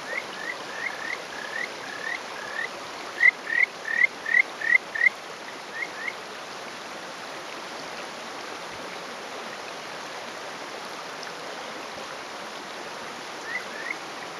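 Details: Male Kajika frog calling from a rock in rural Hofu, Yamaguchi, Japan, on a May morning; a short run of clear rising whistled notes in the first six seconds, then mostly flowing stream noise with a faint note near the end.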